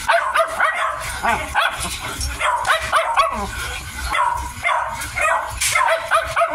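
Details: A 55-day-old Miniature Dachshund puppy at mealtime gives short, high, squeaky yips and whimpers in quick bursts. Chewing and handling noises and soft human voices run underneath.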